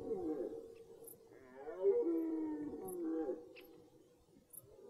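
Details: Red deer in the rut at its start, in a forest: a drawn-out, moaning roar with a strong harmonic tone that rises and falls over about two seconds, then fades, with faint clicks in the background.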